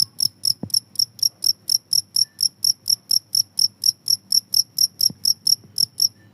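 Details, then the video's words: Cricket chirping, a recording offered as a way to drive rats away: short, high, pulsed chirps repeated steadily about four times a second, with a faint low rumble and a few soft knocks underneath. "suara jangkrik ampuh bisa mengusir tikus"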